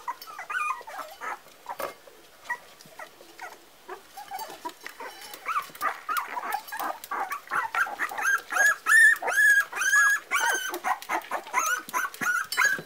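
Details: Parson Russell Terrier puppies, four weeks old, making a busy stream of short squeaky whimpers and yips that overlap and build in density, with thin high whining squeals rising toward the end.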